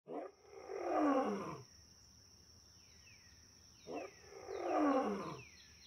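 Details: Lion roaring: two deep, rough roars about four seconds apart, each swelling over roughly a second and then fading, with a steady high-pitched whine and faint sweeping tones in the background.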